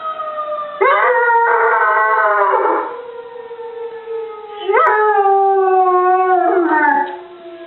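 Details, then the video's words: A dog named Molly howls in a contest with a tornado siren. Two long, slowly falling wails each begin with an abrupt upward scoop, set against the continuous siren tone. "Molly vs. Tornado Siren"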